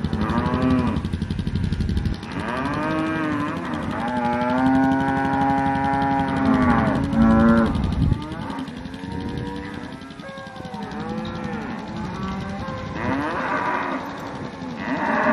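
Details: Cows recorded in October 2023, several animals lowing at once in overlapping, drawn-out moos that rise and fall, some long and wavering, with a steady rapid engine-like throbbing running underneath throughout.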